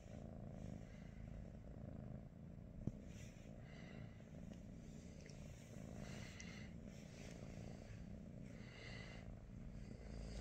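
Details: Morning purring from a British Shorthair cat (Pikachu, Teddy or Rosie): continuous low throbbing drone with soft rhythmic breath surges, one sharp click near the start, otherwise quiet surroundings.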